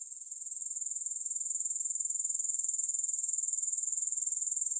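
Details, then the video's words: High-pitched grasshopper trilling, music-free sleep recording: evenly spaced rapid pulses, around four per second, swelling slightly in loudness at the start and then holding constant. "Grass Hopper Sounds"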